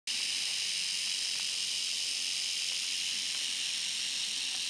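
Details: Timber rattlesnake in Berkley Springs giving a steady, dry, high buzzing hiss that runs unbroken and even in loudness from start to finish, with no other clear sounds.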